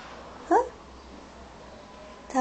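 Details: Cute kitten answering its owner with a short, high, rising mew of about a fifth of a second, harmonics stacked above it; a second mew starts right at the end, over a quiet indoor background.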